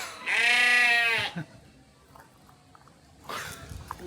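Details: Sheep bleating at a forest recreation site: one loud, wavering, nasal bleat lasting about a second, followed by a quiet pause and then faint human voices.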